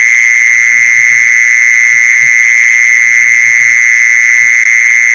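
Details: Luring sound for mole crickets: one mole cricket's unbroken, intense high trill at a constant pitch, with a few soft low bumps in the background.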